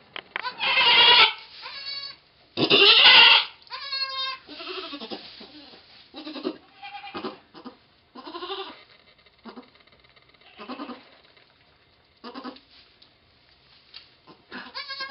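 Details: Goat named Pong giving birth to twins on 2/11/11, letting out loud, harsh, wavering bleats in quick succession, some long and trembling, others shorter, with quieter strained calls between them.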